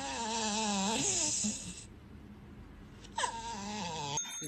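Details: Pet dog indoors giving drawn-out harmonic howls or whines with wavering pitch, a first long wail easing off, then a second shorter one sliding down, a brief clatter at the end.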